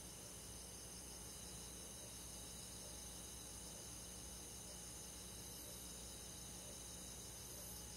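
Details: Crickets with other forest insects on a summer night in the countryside, a constant high-pitched shimmering trill chorus, rapid pulses in several layered bands, gently steady in volume, a low faint hum beneath.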